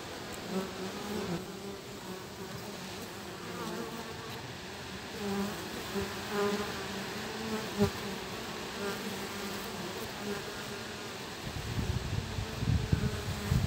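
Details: Honey bee guard bees at a hive, with a young forager joining them, on a cloudy early afternoon of 3 July 2023 at 18°C with south-southwest wind. A steady low hum with layered humming tones, rising in loudness and clatter near the end.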